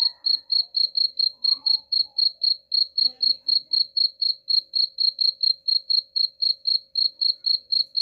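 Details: Cricket chirping, a recording offered for driving away rats: short, high, even pulses repeated about four times a second without pause, with a faint low hum underneath.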